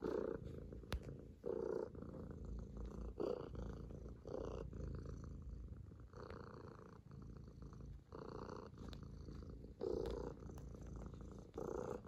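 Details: Affectionate kitten Bıdık kneading on a lap and purring: a deep, even rumble rising and falling in breath-length waves, with light fabric rustle in a quiet room.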